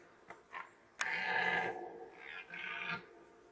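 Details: Rutting red deer in 2021 gives a sudden harsh roar lasting about a second, followed by a shorter, fainter second bellow, with a couple of soft clicks just before.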